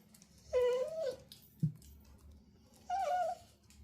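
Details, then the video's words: Pet dog, a female, excited at dinner time indoors, making noises she never used to make: two whining, yodel-like vocalizations with a short break between, the first wavering and the second rising then falling, plus a brief thump in a small room. "She gets so excited when its dinner time she never used to make these noises"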